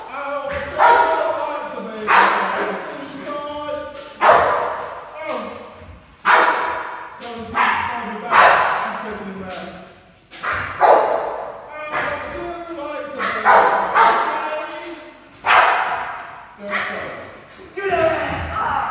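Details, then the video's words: Rottweiler aged ten months during 360 protection foundation work, barking in a rapid, uneven series of sharp, rough barks about every one to two seconds, overlapped by a handler's spoken commands. "Rottweiler Zorro 10 Months Old 360 Protection the Foundation"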